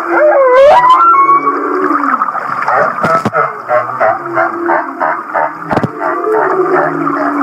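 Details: Humpback whale off Kihei, Maui, in its laughing song: an upswept whoop opens, then a fast run of short pulsed chuckling notes repeats about three times a second over a steady humming background.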